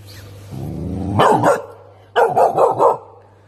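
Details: Young Tibetan Mastiff in a pet shop, barking at an unfamiliar animal; a rising whine leads into two loud deep woofs, then a burst of four rapid barks, with a steady low hum behind.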